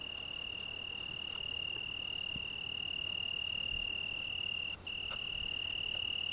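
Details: Italian tree cricket, Algarve, Portugal, June evening: a loud, sustained high trill running steadily without a break, pulsing evenly and rapidly, with one brief dip near the end and a low rumble underneath.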